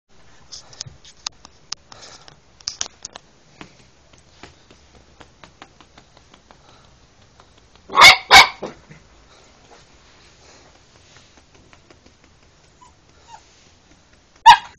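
An Alaskan Malamute gives two sharp, loud barks in quick succession, then one more after a pause.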